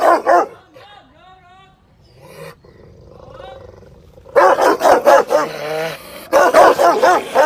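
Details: Rottweiler barking angrily: one bark opens, then a quiet stretch of faint wavering cries, before a dense volley of loud, harsh barks fills the second half.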